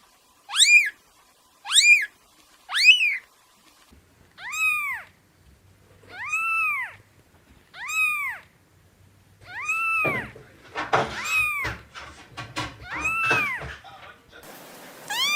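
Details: Kitten at play, giving a series of about eleven meows: short high arched calls early on, then longer drawn-out rising-and-falling meows, with faint rustling toward the end.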